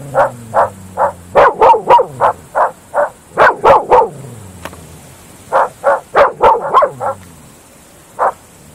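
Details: At night in open fields, Groenendael Belgian Shepherd dogs bark in a rapid, steady series of about three barks per second, loud and rough, with a short pause midway and a low drone faintly underneath.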